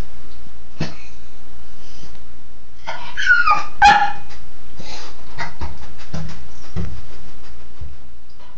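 A Cairn terrier lets out a few quick, high yips and excited barks, bunched in the middle of the clip. A constant hiss of running water from a shower fills the background throughout.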